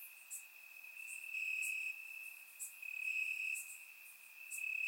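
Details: Crickets in grass on a warm Bulgarian summer night: a sustained high, even trill that grows louder midway, punctuated by a handful of sharp, very high-pitched tick bursts.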